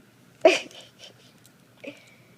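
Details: Gizmo, a four-year-old purebred Tibetan Spaniel, has the hiccups indoors: two sharp, brief hiccup bursts about one and a half seconds apart, the second followed by a faint, thin lingering tone.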